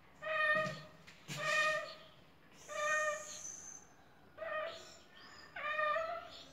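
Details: Strange noises from a male pet cat that seems sick and angry: five loud, strained meows, some wavering and rising, spaced roughly a second apart, with quiet background rustling.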